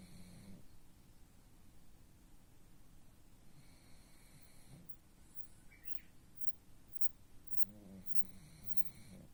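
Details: A pug snoring: low, rasping nasal snores at the start, a short snort near five seconds and a longer, rattling snore late on, over a steady low rumble with faint, intermittent high tones.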